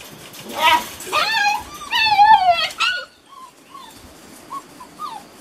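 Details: Beauceron puppies from working lines, six and a half weeks old, in a new enclosure, litter of Loché and Novillo, 27 May 2019: loud wavering whines with rich overtones in a rapid series, then softer short rising-falling whimpers.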